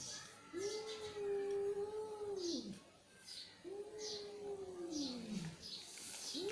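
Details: Angry cat's two long, level moaning yowls, each dipping at the close, over steady background hiss and repeated soft ticking sounds.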